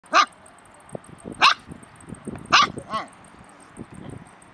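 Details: Stray puppies in Bursa, Turkey, giving four sharp, loud barks spaced unevenly over a few seconds, with softer scuffling and faint ticking noises between them.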